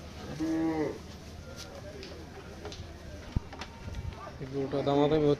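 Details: Cattle at the Hazratpur cattle market near Dhaka, Bangladesh, sold as Qurbani animals ahead of Eid ul Adha, recorded at night; two loud harmonic moos, one near the start and a longer one at the end, with murmuring voices between.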